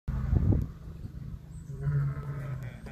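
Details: A male white lion (Panthera leo) at Animal Adventure Park, Harpursville, New York, on 15 October 2021, gives a deep, rumbling roar with a short burst of low grunting, while a woman roars along in the background.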